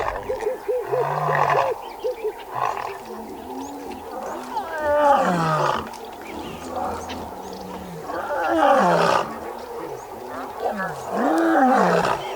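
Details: Lions of the Xakanaxa pride, reuniting after a night apart, roar in deep, grunting bursts; lionesses roar to consolidate the pride and males answer, hidden in the long grass.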